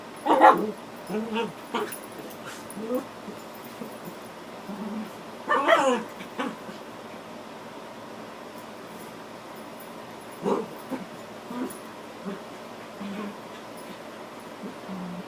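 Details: Two dogs, a mother and her puppy, playing at fighting indoors; bursts of growls, yips and snarls in clusters, loudest near the start and around six seconds, with quieter whines between.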